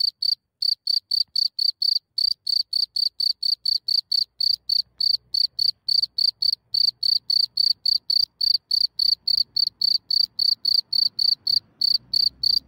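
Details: Cricket calling after coming out of its hole at night in Germany, captured from centimetres away: fast, even stream of loud high chirps, nearly four per second, with soft low rumbling creeping in toward the end.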